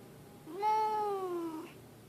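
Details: Leo, a grumpy pet cat that yowls out of the blue, gives one long, steady, moaning yowl of about a second that holds a level pitch and then fades, against a quiet background.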